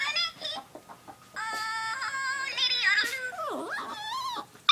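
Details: A pet dog, female, gurgles over her toy billy goat: warbling, wavering whines that dip and rise, a quick downward-then-upward swoop near the end, and short broken yelps in between.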